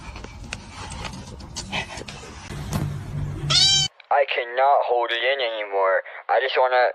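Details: Domestic cat meowing: about four seconds of mixed background noise and faint voices, then a run of loud, wavering, harmonic meows, several in close succession with short pauses between them.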